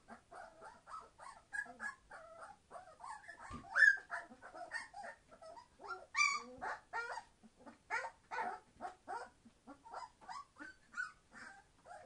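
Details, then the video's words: Twenty-one-day-old Entlebucher Mountain Dog puppies from a September 2015 litter, crying together in rapid, choppy high squeaks and whimpers, with a few louder yelps standing out from the steady chatter. "Entlebucher Mountain Dog puppies 21 days old - being very noisy!"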